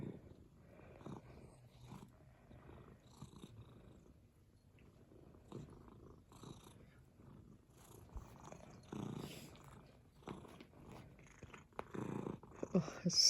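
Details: Cat purring contentedly, a quiet low rumble in uneven pulses that fades and swells, growing a little louder toward the end with soft handling noises.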